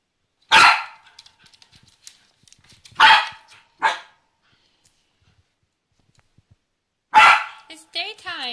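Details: Nibbs, a female Pembroke Welsh Corgi, barks and whines to be given her favorite laser pointer. Three sharp barks come at wide gaps, then a final bark runs into a wavering high whine, with a woman speaking in between.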